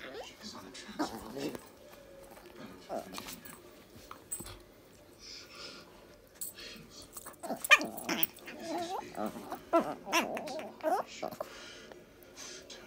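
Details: Dolly, a tiny Chihuahua, play-fighting indoors with Missy the Border Collie: bursts of high, strained shrieks and yelps with growly undertones, densest in the second half, mixed with scuffling and human voices.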